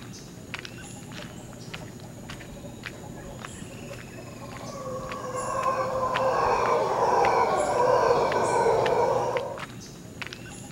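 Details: Howling of howler monkeys at Quepos, Costa Rica: after quiet forest ticking, a hoarse, rumbling roar swells from about four seconds, peaks near eight and cuts off before ten seconds.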